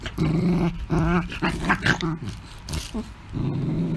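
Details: Angry pet Beagle growling indoors: low, rumbling growls in a steady series of pulses, some with a rougher, rising snarl edge, separated by brief pauses, with no other clear sounds.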